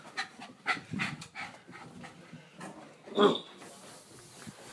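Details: Pet dog panting while running about: quick, breathy huffs repeating roughly every half second, with one louder rasping burst midway, over a soft background hiss.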